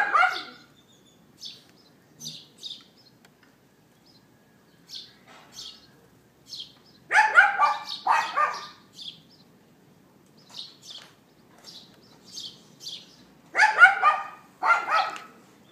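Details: Recorded on an iPhone 4S at 11:31 AM, April 18, 2012, a neighbour's dog lets out loud, rough barks in doubled and tripled bursts with long pauses, over scattered high bird twitters.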